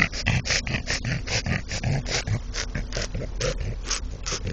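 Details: French Bulldog, a male said to be in love with a brick, giving rapid rhythmic snorting and grunting breaths, short noisy bursts repeated about every quarter to half second with low grunts underneath.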